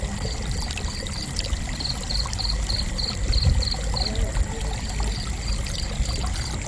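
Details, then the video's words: Cricket giving a run of sharp, high chirps for about four seconds before fading to fainter pulses, with rushing stream water underneath and a brief low thump midway. "Gentle Cricket Chirping"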